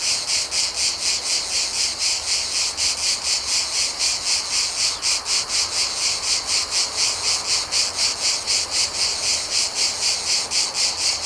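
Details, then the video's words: Mediterranean summer cicada chorus recorded outdoors: shrill, sizzling buzzing throbbing in quick regular pulses, roughly four per second, loud and unbroken throughout, nothing else standing out. "Cicadas Chirping Sound Effect | Mediterranean Summer Ambience"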